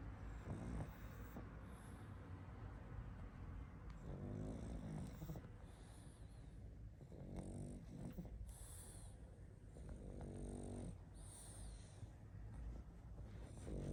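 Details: A sleeping pug snores: rough, rattling breaths with a buzzy, layered tone, several swelling snores spaced a few seconds apart over a steady low background rumble.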